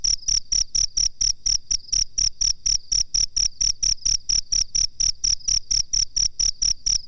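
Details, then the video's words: Master recording of a cricket for bird training: bright, high-pitched chirp bursts repeated roughly four times a second in an even rhythm, over a soft low background hum. "suara jangkrik masteran"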